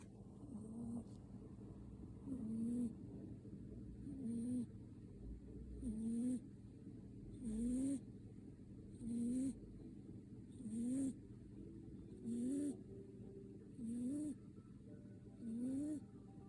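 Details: A sleeping cat snoring steadily: ten short, rising, nasal snores come about every one and a half seconds, each with a faint airy hiss, over a quiet low background hum.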